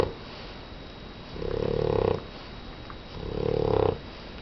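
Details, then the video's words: Max, a sleeping pet dog, snores indoors: two drawn-out raspy snores roughly two seconds apart, each swelling in loudness with a nasal buzzing tone, against a quiet room. "Max snoring dog"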